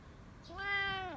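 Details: Single steady meow from a domestic cat, flat and drawn out with a drop in pitch at its close, heard in a quiet indoor setting.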